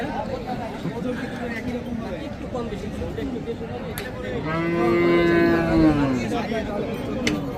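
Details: Large Sahiwal cattle at the busy Hazratpur market, Bangladesh, before Qurbani: background chatter, then one drawn-out, slightly falling moo lasting about two seconds, followed by more talk.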